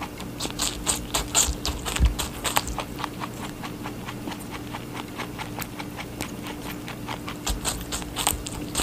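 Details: Rabbit eating watermelon, a rapid series of short, crisp bites and wet crunches, irregular but near two per second, with soft steady hum underneath.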